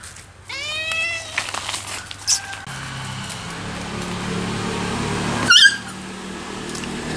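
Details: Domestic cat trying to scare off a friendly abandoned puppy, giving a loud harmonic meow-wail with a sliding pitch near the start, followed by rustling and a sharp knock in the background.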